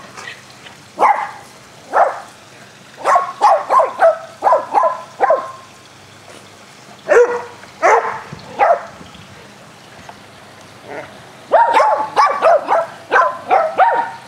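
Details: Playful barking from four dogs, Athena, Brando, Rocko and Charlie, during rough fetch on a spring day; clusters of quick barks separated by quiet gaps, busiest at the start and end.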